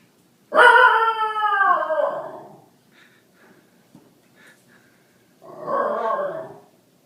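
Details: Basenji at play for the first time with another dog, Graham and Ginger, in 2012. A loud, rich yodel-like howl sweeps downward for about two seconds, a few faint noises follow, then a second, shorter wavering howl.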